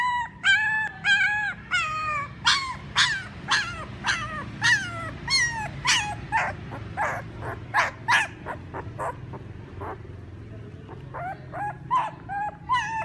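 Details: Whimpering and yelping Siberian Husky puppies, part of a litter of eight raised at a yard in Remels, Germany; rapid overlapping whines and short sharp yips tumble over each other, several pups calling at once with brief gaps.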